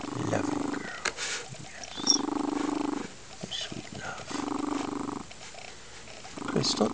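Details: A female foster lynx-point Siamese cat, blissing out on a sunny windowsill on a weekend afternoon, purrs loudly in long, steady, rumbling bursts and coos while a woman speaks softly to her.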